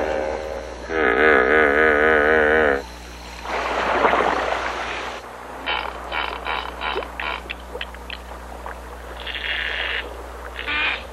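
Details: Hippopotamus giving a drawn-out, wavering harmonic honk of about two seconds, then a rough noisy burst and a run of short pulsed calls, all over a steady low droning hum.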